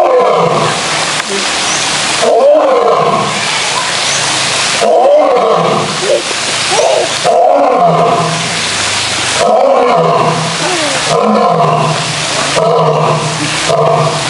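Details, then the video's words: Male lions roaring in a zoo: deep, heavy roars rising and falling in repeated bursts roughly every two to three seconds, each a broad rumbling groan, with steady background hiss throughout. "Lions Roaring Compilation"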